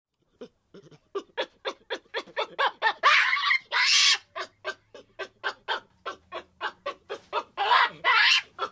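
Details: Baboon calling in a rapid series of harsh, broadband barking pulses, roughly two per second, with a few longer, louder noisy bursts in the middle and near the end. Faint low hum underneath.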